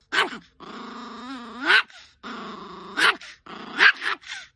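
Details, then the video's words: Angry dog giving long, steady rumbling growls that swell and rise in pitch, broken by short sharp barks; growling stretches of about a second alternate with bursts of barking, five barks in under five seconds. "Angry Dog Compilation"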